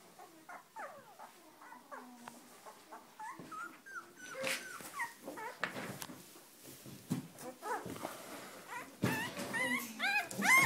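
A litter of Weimaraner puppies fills the air with thin, high whines and squeaks that rise and fall. The cries overlap quickly, several pups calling at once, growing louder and sharper toward the end.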